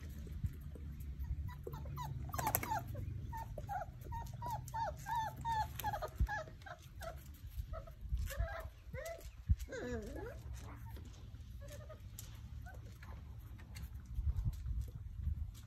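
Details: Basset Hound puppies at play give a run of short, high, bent whimpers and squeaks, quick and uneven, then a few lower drawn-out whines, over a steady low rumble of background noise.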